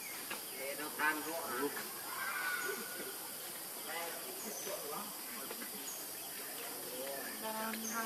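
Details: Baby monkey Leo cries to beg milk from his mother, hungry and missing her; short harmonic wails that bend downward come in scattered bursts over a steady hiss.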